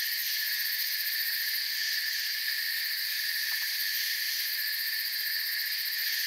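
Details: Constant high insect trilling from crickets in a forest, several shrill layers humming together without pause, with a brief faint tick near the middle.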